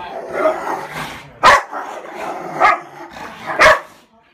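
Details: Pit Bull play fighting: a rough, growly rumble breaks into three sharp barks roughly a second apart, with music and a singing voice underneath.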